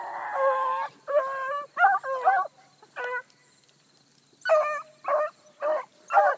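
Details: Bluetick Coonhounds running a big rabbit hard early on a July morning, pack including a new pup: overlapping bawling bays in bursts, a sustained opening note, then a pause and four short rhythmic bays.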